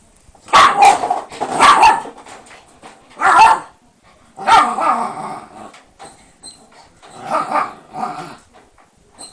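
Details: Shiba Inu named Sora, a mischievous dog that ended up fenced in by lattice barriers, giving sharp, harsh barks in about five separate bursts over nine seconds, some doubled, with quiet gaps between.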